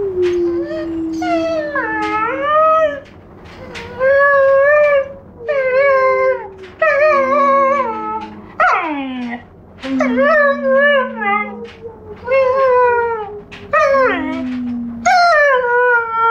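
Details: A four-month-old Giant Schnauzer puppy howls in a long series of drawn-out, wavering tones, some rising and bending, others sliding down, with short breaks between howls.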